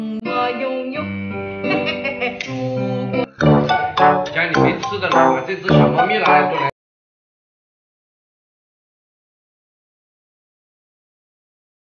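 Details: Acoustic guitar music with singing plays for about seven seconds, then falls silent.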